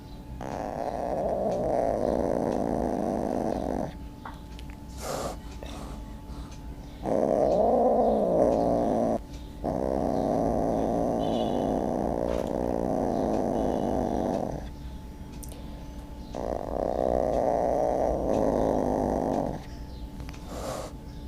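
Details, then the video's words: Cat making a horrible sound: long low growling wails lasting two to four seconds each, separated by short pauses, four bouts in all, with a faint steady tone in the background. "Cat horrible sound"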